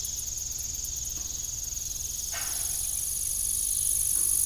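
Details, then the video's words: Evening cricket chorus on an old farm beside a disused windmill: steady high-pitched trilling throughout, a second shrill pulsing insect layer entering halfway and growing louder, a brief clank near the middle, and low rumble underneath. "Evening Cricket Sound"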